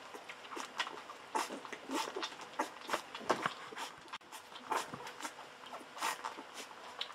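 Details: Golden Retriever puppies at day fourteen, from Aiko of Haarby and Lady Dina, drink milk from a bottle with wet smacking and sucking bursts and brief thin whines between gulps.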